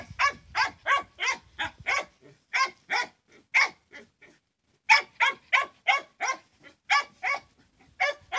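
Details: Hunting dogs giving rapid, repeated barks, several per second in bursts with brief pauses, bright and mid-pitched, a short gap near the middle, little else heard.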